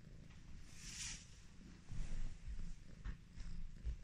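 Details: Affectionate Highland Lynx cat purring while being petted: a low, rough, continuous rumble that swells louder in the second half, with a brief soft rustle near the start.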